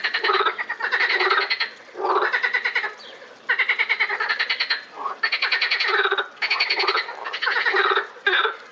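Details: Frogs calling together at Lausanne's botanical garden in April 2018: dense, grating pulsed croaks in bursts of one to two seconds, several callers overlapping with brief pauses.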